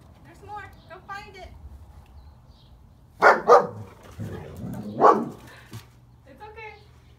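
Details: Athena, a one-year-old German shepherd on an Easter egg hunt, trained to find a certain smell inside the eggs. A few sharp, loud barks come in a cluster mid-clip, with people talking in Spanish and some higher whiny vocal sounds before and after.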